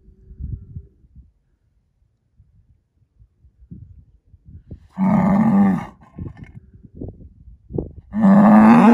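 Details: Angus breeding bull, a herd sire born in spring 2018, lows twice: a loud, deep moo of about one second, then a second strong moo starting three seconds later, with scattered rustling and low knocks between.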